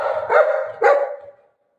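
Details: Golden retriever at play gives two loud, harsh barks about half a second apart, each falling off quickly, with a brief human voice just before the first and a quiet tail afterward.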